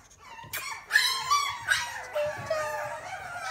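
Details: Little male puppy with an apple-shaped head whimpers and yips in short, high, wavering cries that rise and fall, several in quick succession.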